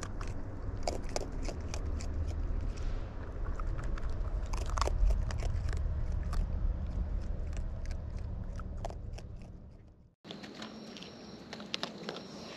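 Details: Close-up of wild raccoons feeding: busy, crunchy mastication with sharp clicks and bites over a low rumble for about ten seconds, then an abrupt cut to a quieter passage with a few faint clicks.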